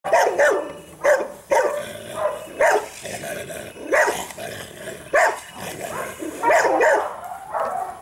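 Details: Belgian Malinois puppy during agitation training, giving repeated sharp barks and yips in bursts roughly every second, some rising in pitch, with short pauses between flurries.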